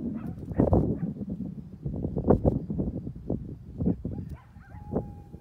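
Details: Coyotes calling across a canyon to each other from opposite sides: loud, irregular barking yips and whines, easing into a quieter stretch closed by a single long, steady howled note.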